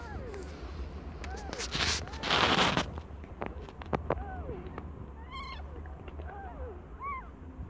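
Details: Aimee, a cat not yet one year old, giving birth to five kittens of different colours: several short, arched, soft mews, then a thin, high squeaky mew near the end, over rustling and bumping noises.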